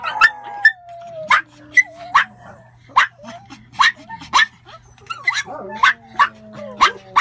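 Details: Pomeranians giving rapid, sharp high yips roughly every half second, mixed with thin drawn-out whines that slide slowly downward, a few voices overlapping in a busy, excited chorus.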